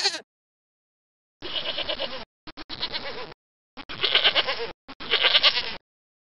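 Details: Goat giving repeated harsh, tremulous bleats, each about a second long and separated by short pauses, with an abrupt short sound at the very start.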